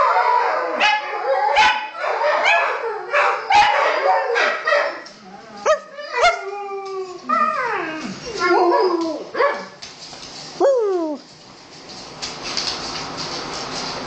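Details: Dogs and wolf hybrids Khan, Venus and Micah howling together at night, as they do about once nightly: dense yips and howls give way to clear falling, sliding howls, then fade into hiss.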